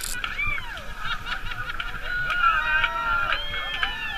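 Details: Bottlenose and Atlantic spotted dolphins communicating while playing together in the tide line off Bimini, Bahamas, in June, recorded underwater on a wild swim: overlapping looping, rising and falling whistles with faint harmonics over scattered clicks and water hiss.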